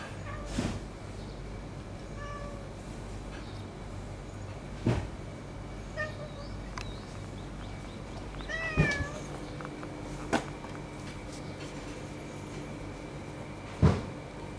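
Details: Friendly white-and-tabby female neighbourhood cat, known locally as very affectionate, whose sleeping spot has been taken over by a rival cat; a few short, bending meows spaced several seconds apart over a low steady hum, with scattered knocks and faint high chirps.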